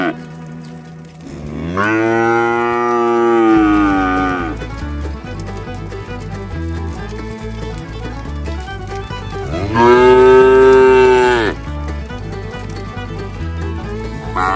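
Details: Cows from a village herd heading home to the barn on rural roads give two drawn-out moos, each lasting around three seconds, about eight seconds apart, over a steady rhythmic background of music.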